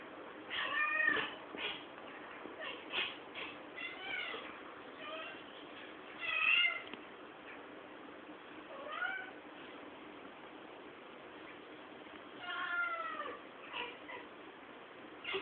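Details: Pet cat excited after seeing a fly, recorded on a poor-quality camera: a string of short, chirpy, arching meows and trills, some quick in pairs, spread through the stretch over a steady hiss.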